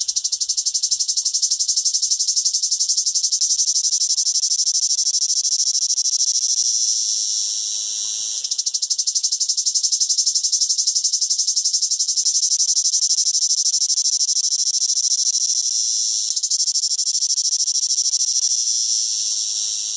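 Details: Cicada singing in summer: a loud, dense, high-pitched buzzing drone, rapidly pulsed and continuous, briefly dipping in volume around the eighth and sixteenth seconds before resuming at full strength.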